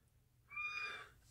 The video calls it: Ragdoll Cat Gus Being Vocal and Sweet